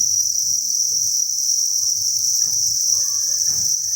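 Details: Crickets by the thousands at a cricket farm keep up a constant high, ringing chirp chorus, joined by low tapping and rustling and a few faint brief tonal squeaks.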